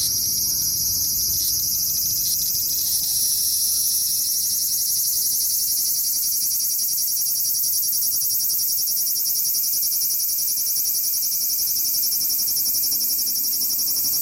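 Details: A large brown cicada (aburazemi) in Aoba Park, Japan, on 19 July 2019 finally starts singing in a steady, high sizzling drone like oil frying in a pan; few were heard that year.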